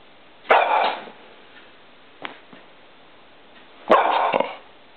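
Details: Female pet dog Poppy barking at light reflecting on a wall she is trying to catch; two sharp single barks about three and a half seconds apart, with a soft knock between them in a quiet indoor space.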